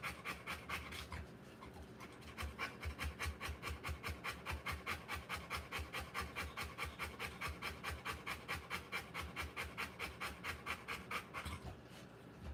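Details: Rottweiler panting while giving birth to puppies; rapid, regular breathy pants, about two per second, steady through most of the clip with a brief pause near the start and end.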